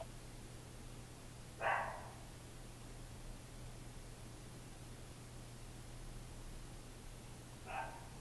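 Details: Lap dogs barking, heard as two isolated short yappy barks roughly six seconds apart against a faint constant low hum.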